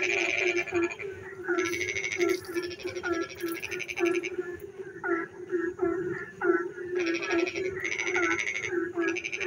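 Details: Frogs singing in the dark on a rainy night in a village: pulsed, raspy croaking bursts in blocks about half a second to a second long, overlapping with short upswept calls and a steady low hum of other callers.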